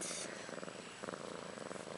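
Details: Soft purring from Ashley, a young pet cat about a year old, with her two female kittens Maggie and Rose, born on March 30, 2013. The pulsed purr is rhythmic and close, rising and easing in loudness.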